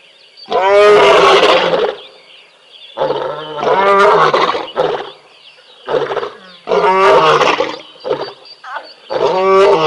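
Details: At a waterhole in Tembe, a big male lion of a pride roars while the sub-adults play, in deep, harmonic bursts of one to two seconds separated by brief pauses.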